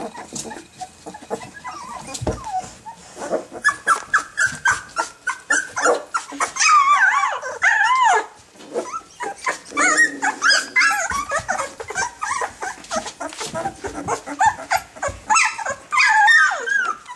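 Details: Rottweiler puppies two weeks old protecting their territory, producing rapid chattering yips and wavering squeals, several pups overlapping, with scratchy rough growl tones between the higher calls.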